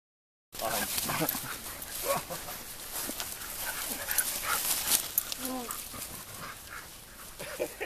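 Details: Sled dogs playing, giving short rising whines and sharp yips amid rough scuffling and rustling noise, with a person talking in German nearby.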